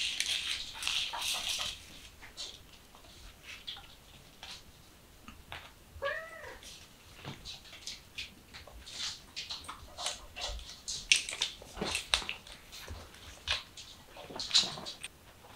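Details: A kitten just learning to act cute gives one short, arching, tonal meow midway through, set among steady rustling, scratching and clicking handling noises.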